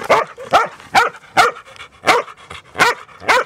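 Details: New Zealand Huntaway dogs on a walk on a Sunday with their owners, barking loudly: sharp, rough barks repeated about every half second, eight in quick succession, with nothing else clearly heard.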